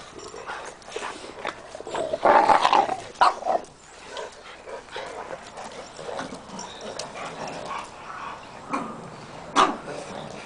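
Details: Oliver, a rescued Pug Peke Tzu puppy, meets the pack of dogs. A short whining bark rings out about two seconds in, with scattered thumps and scuffling around it and a person speaking soothingly to the dogs.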